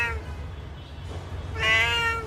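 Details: Domestic cat blinded in one eye by someone, meowing as if sadly telling of its plight; a short harmonic meow at the start, then a louder drawn-out meow after a pause, with low background hum.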